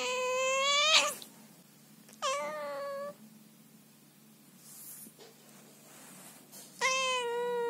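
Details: A female Scottish Fold cat, who came to her owner's bed at night but didn't want to be touched or hugged, gives three loud, drawn-out, angry meows, scolding her owner.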